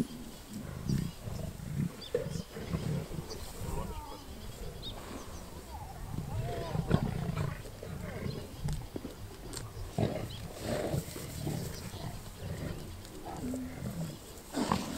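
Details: Lions killing a wildebeest near Kruger National Park, South Africa, recorded during a safari game drive; continuous low rumbling growls and snarls over fifteen seconds, with some human speech mixed in.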